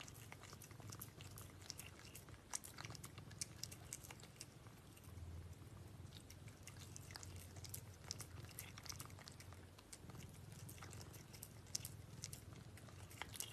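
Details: A cat eats food: steady mastication with bursts of crunching and clicky bites, some louder snaps, over a low background hum that swells and fades.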